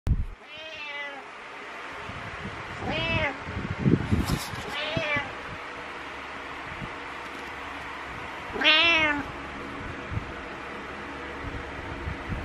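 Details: Domestic cat meowing while headbutting to wake its owner in the morning: four drawn-out, rising-then-falling harmonic meows spaced a few seconds apart, with soft rustling and a brief human voice in between.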